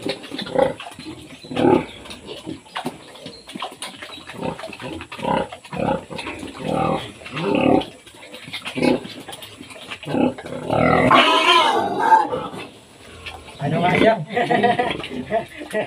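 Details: Farm pigs in the Philippines, with a sow being cared for after giving birth. Rapid, irregular grunts repeat throughout. Around the middle a longer, higher squeal breaks out, then the grunting resumes over a faint hum.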